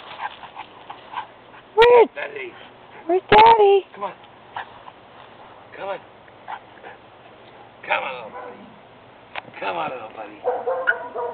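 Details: Baz, a pet dog, sees dad pull up and plays: two loud, sharp, tonal barks a second and a half apart, then softer yips and whimpers scattered among people talking in the room.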